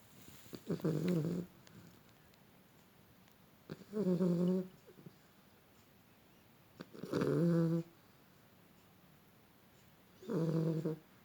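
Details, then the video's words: Sleeping Beagle snoring in a regular rhythm, four raspy, vibrating snores about every three seconds, each lasting close to a second, separated by near-silent gaps in a quiet room. "The snoring Beagle"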